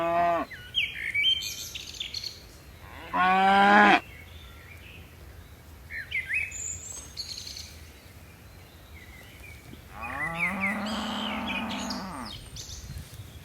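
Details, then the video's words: Herd of tame cattle coming down a mountain slope: several moos of varied length, one short and loud, one longer and quieter later, with bird chirps and whistles between. "Suara lucu sapi moo"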